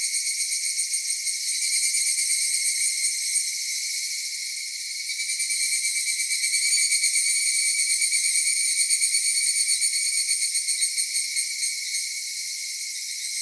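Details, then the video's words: Summer cicada chorus recorded in Kitakami, Japan, at Michinoku Folk Village and Kitakami Tenshochi, a continuous shrill shimmering drone with rapid pulsing, dipping briefly in the middle before swelling again. "夏セミの鳴き声 ミンミンゼミから夕方のひぐらしまで"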